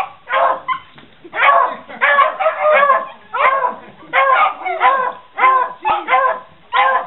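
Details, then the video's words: Answering "Who wants cheese?", a Beagle and Puggles give clustered, loud barks and yelping cries, overlapping and irregular, roughly one and a half bursts each second across the seven seconds. "Beagle and Puggles answer "Who wants cheese?""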